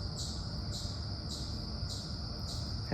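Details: Chipmunk sounding an alert that makes a nearby squirrel nervous: high, thin chips repeated steadily about every 0.6 seconds over a constant low rumbling background.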